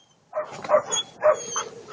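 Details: Attila ot Salmoxis, an eight-month-old German Shepherd puppy, gives four short, hoarse barks spaced about half a second apart after a brief silence, with a faint high hiss in the background.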